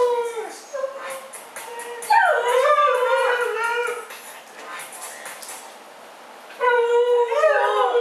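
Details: Dogs Mishka and Laika trade vocal argument: a short dipping whine, then a loud warbling outburst that bends up and down, a quiet gap, and another rising, wavering howl-talk.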